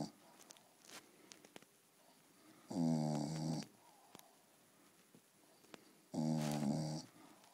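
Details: Staffordshire Bull Terrier asleep indoors, snoring: two loud, rasping, buzzy snores, each about a second long and roughly three seconds apart, separated by quiet breathing.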